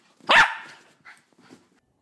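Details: Jack Russell terrier puppy, female, barking in the morning to wake her owner; one loud sharp bark followed by two faint short yips.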